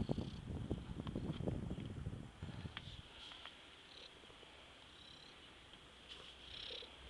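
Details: Mariolina, a cat, purring: a low, rapid, rumbling pulse that fills the first two seconds and then fades to a soft steady hiss with faint clicks.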